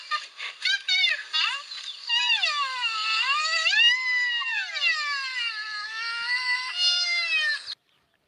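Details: A captive black rhinoceros (Diceros bicornis), a female otherwise busy eating, gives long, high, whining squeals that waver and slide up and down in pitch, reacting to a sound test; such calls are rarely heard.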